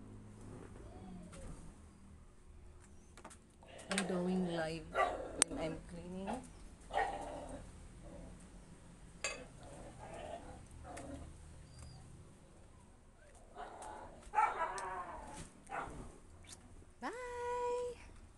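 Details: Husky arguing indoors, giving scattered bursts of wavering, harmonic, speech-like yowls between quieter pauses, ending in a sharp rising whine; a low background hum runs throughout.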